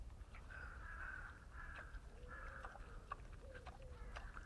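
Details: Wild boars feeding: drawn-out squealing tones held for about half a second each, with lower gliding whines beneath, over a steady low rumble and scattered crunching clicks.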